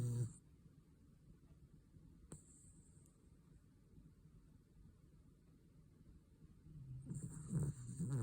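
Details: Snoring from a sleeping Cavalier King Charles Spaniel: a brief gravelly snore opens, followed by several seconds of quiet breathing, then a rising, rattling snore builds near the end in a small quiet room.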